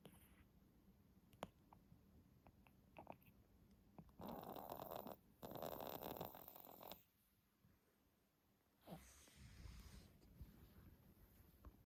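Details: Ten-month-old Pomeranian Stella asleep and snoring heavily, the snoring first noticed after a bout of reverse sneezing; loud rasping snore breaths fill about three seconds mid-clip, with quieter wheezy breaths and a later rough exhale.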